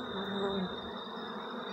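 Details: Continuous droning buzz of honey bees at beehives in Jamaica while a man handles them; a low, even hum with a thin steady high whine above it.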